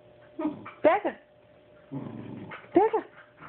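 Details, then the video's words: A puppy pleads for a stuffed animal that is out of reach, giving two arching, whiny yelps that rise then fall, with a low grumbling growl between them while a woman urges him on in Portuguese. "Puppy tries to get toy"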